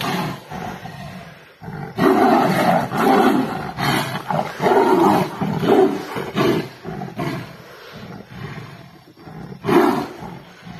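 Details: Wild Royal Bengal tigers, a pair locked in a fierce fight at Nagarahole National Park, Karnataka, India, roaring at each other: deep rasping roars and snarls in irregular surges, easing midway, then a final loud roar near the end.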